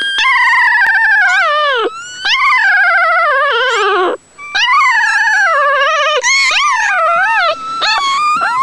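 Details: Nursing newborn puppies make a run of wavering, siren-like whines, some long and falling, others short upward swoops, with brief pauses between bursts; the sound is high, tonal and strange.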